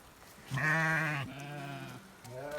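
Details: A sheep gives a drawn-out, wavering bleat, followed by a second lower bleat, as the flock comes running in on a rainy day; lambs are kept nearby.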